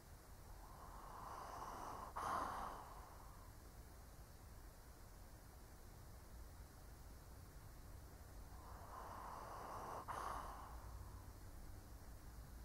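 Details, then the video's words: An elderly Shih Tzu asleep, snoring slowly: two long breathy snores about eight seconds apart, each ending in a small click, over a steady low background hum. "Snoring Shih Tzu (cute/old doggo sleeping)"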